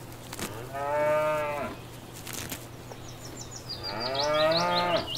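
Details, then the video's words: Grazing cow in a field, giving two moderately long moos separated by a pause, while a bird twitters rapidly over the second one. "Cows Mooing and Grazing in a field"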